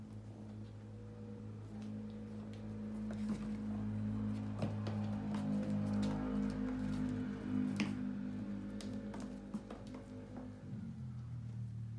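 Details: Soft indoor background music plays with faint tapping and clicking noises and a low steady hum.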